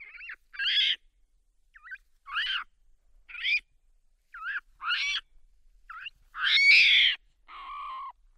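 A monkey gives a series of squeaky, harmonic chirps and whistles, each brief and spaced irregularly.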